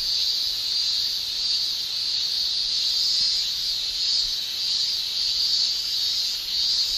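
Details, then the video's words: Summer shrilling of male cicadas in Japan, tymbal song: a loud, even, high electric-sounding drone with gentle rhythmic surges, many cicadas calling together without pause. "Japan Summer Cicada Shrilling"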